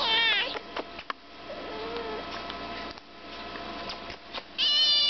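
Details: Five-month-old chocolate point Siamese kitten being vocal: a loud, high, harmonic meow that bends downward opens the recording. Quieter sounds follow, with a brief lower note in the middle. A second strong, wavering meow comes at the end.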